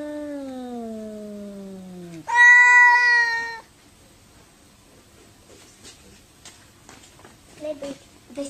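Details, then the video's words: An angry cat in a fight gives a long, slowly falling meow, then a louder, higher, strained wail lasting over a second, followed by near quiet with faint clicks and soft scuffling. "CRAZY CAT SAY WOW"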